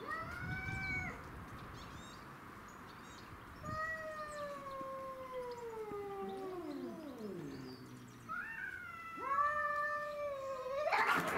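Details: Domestic shorthair cats fighting over territory, black-and-white Tom, white-and-ginger Mimi and a grey-and-white neighbourhood stray; drawn-out harmonic yowls bending downward, overlapping between two cats, ending in a rising wail and a harsh burst.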